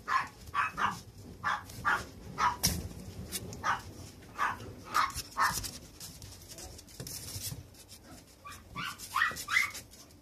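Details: Puppy, a young male dog, giving a long run of short, high yapping barks, about two per second at first, then thinning out and turning softer with some whimpering toward the end; faint background noise throughout.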